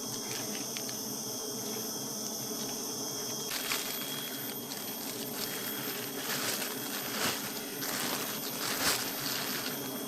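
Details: Continuous low hum from a crowd of honey bees as honey is taken, with a steady thin high whine and repeated rustling, scraping bursts in the second half.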